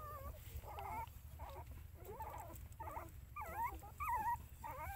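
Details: Puppies beside their mother dog whine and squeal in quick overlapping bursts, thin wavering cries that bend up and down, under a constant low background hum.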